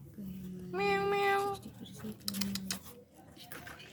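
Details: Three kittens meowing: one long clear harmonic mew lasting nearly a second, then a lower drawn-out cry and scattered faint sounds, recorded in a small quiet room with some clatter.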